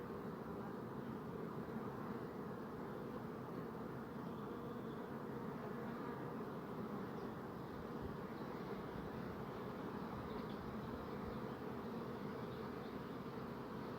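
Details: Many bees buzzing together in a steady, dense low hum, an even swarm drone with no pauses and no other clear sounds.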